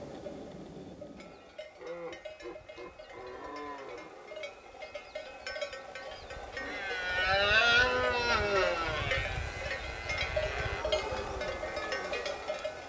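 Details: Red deer during the September rut on Pyrenean mountain pastures where cattle and horses graze. Clanking cowbells ring throughout, then a long, swelling harmonic bellow rises and fades.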